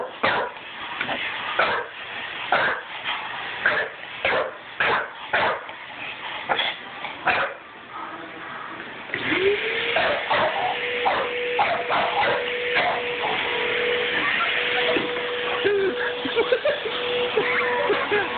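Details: A six-month-old pet English Bulldog barking at a vacuum cleaner: sharp, punchy barks repeat unevenly about every half second, then the vacuum starts up with a steady drone and the barking continues more sparsely over it.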